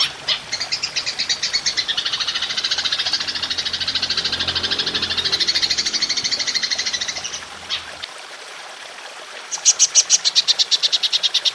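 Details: Golden grasshopper, belalang emas, in a long 'nembak panjang' shooting style for songbird training: about seven seconds of dense, rapid high buzzy pulsing over a faint low hum, a brief lull, then sharper clicking pulses.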